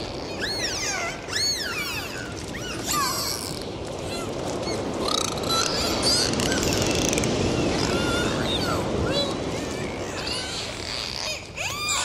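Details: Dolphins recorded underwater in the sea during a dive: bursts of rapid rising and falling whistles with bright overtones, some looping sweeps, interspersed with sharp click trains over a steady broadband underwater hiss.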